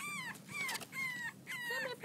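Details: French Bulldog puppies aged six weeks at play utter thin, drawn-out whimpers that slide gently downward, four overlapping cries in two seconds, while a person calls to them nearby.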